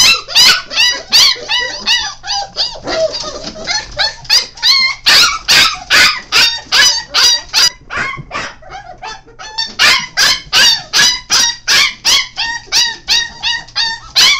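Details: Five-week-old Golden Retriever–Alaskan Malamute mix puppies give shrill, rapid yips and squeaky whines, repeated about every half second.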